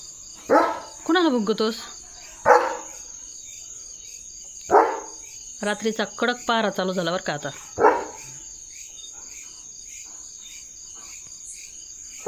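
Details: Leo, a German Shepherd in India, during night-time catch practice in his home courtyard: several short, sharp barks spaced a few seconds apart, a man's voice praising between them, and a steady high insect-like whine throughout.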